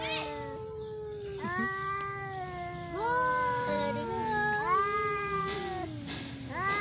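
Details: Dueling cats trade long, moaning caterwauls, each starting with a sharp onset and bending down in pitch, overlapping layers of howls continuing almost without pause.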